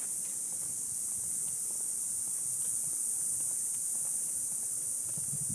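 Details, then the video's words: Cicadas near an Ocotillo tree on a summer evening after sunset: a constant sizzling high buzz, a little quieter, over soft footsteps and low rustling. "Sounds of Cicadas"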